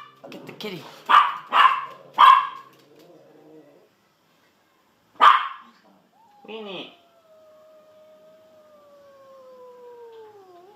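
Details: Pet dogs Sausage and Weenie bark in a quick burst of three, then once more, while someone urges them on to get the kitty. A long spoken or drawn-out vocal sound follows.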